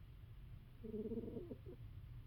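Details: Snoring from a sleeping female cat: one wavering, slightly buzzy low whistle that pulses for about a second and trails off, over a soft steady room hum.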